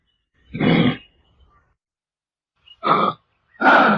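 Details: Kangaroo giving three harsh, guttural grunts, a longer one followed after a pause by two shorter coarse bursts in quick succession, on a silent background.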